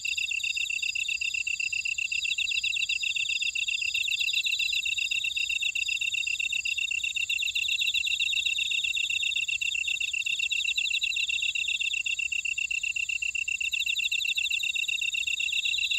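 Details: Many grass insects chorusing in a buckwheat field at Ora-dong, Jeju City, Jeju Island, South Korea. Bright, continuous trills and quick rhythmic chirping overlap without pause, with a slightly higher buzzing trill joining in now and then.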